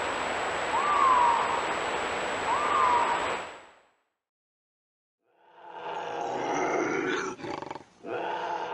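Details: Intense bobcat vocalisation meant to keep raccoons and rodents away: two raspy, breathy howls with a thin whistled edge, a gap of silence, then a rough, broken snarling growl.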